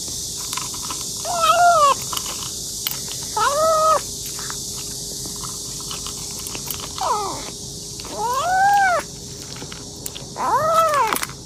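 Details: Domestic kitten eating hungrily and meowing: five short arched meows spaced about two seconds apart, each rising and dropping, over a steady background hiss with faint clicks of chewing.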